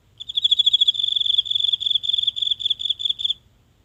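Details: Lone insect in the grass of a tiny home garden on a silent night, captured close with a mobile phone: one continuous high, buzzy pulsed trill of about three seconds, stopping abruptly.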